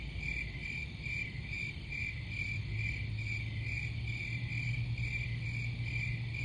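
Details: Crickets chirping in a dense, steady chorus of fast high pulses at an even pitch, with fainter, higher shimmering bands above. A low rumble runs underneath, and a low steady hum joins midway.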